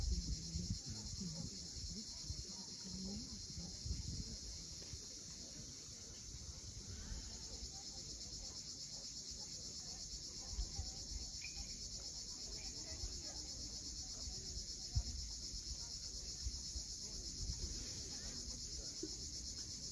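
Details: Sunset on Crimea's steep Cape Fiolent coast, where cicadas keep up a continuous high, hissing drone while heavy low surf from the waves rolls underneath and swells at intervals.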